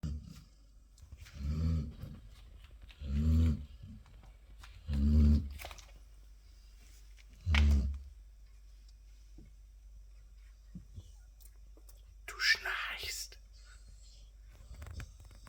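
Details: Labrador Retriever snoring indoors: four deep, rumbling low snores spaced about every two seconds, then a pause and a brief rustling noise.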